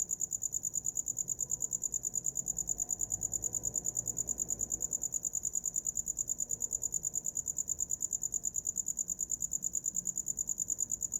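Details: Cricket chirping at night as a sleep sound, a high steady trill of rapid even pulses, about three per second, running without pause over faint low background hum.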